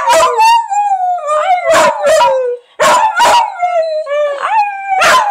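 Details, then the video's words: Owner's dog howling as if saying "I love you": sustained, gently falling howl tones, steady and harmonic, broken by sharp bursts of noise roughly every half second to second, one brief gap midway. "Honey says I Love You"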